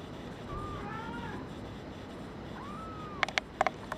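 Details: Brown tabby and white male kitten, born 27 February 2011, producing two thin, drawn-out mews with a level pitch, followed by sharp clicking sounds at the end.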